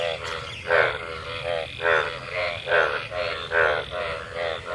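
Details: A chorus of frogs croaking after monsoon rain during mating, with loud nasal croaks pulsing about every 0.8 seconds, each a layered harmonic burst.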